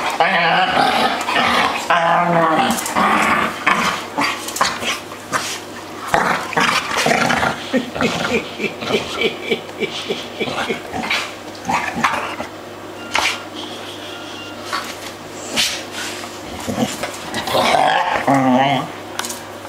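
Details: Three playing dogs trade constant growls, yaps and whiny, warbling cries in a busy, overlapping jumble, loud throughout with short breaks and a rising, wavering yowl near the end; faint voices underneath.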